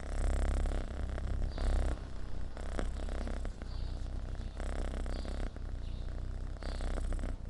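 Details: Homeless rescued kitten purring steadily, a low rumbling buzz that swells and fades in roughly one-second cycles with each breath, close to the microphone.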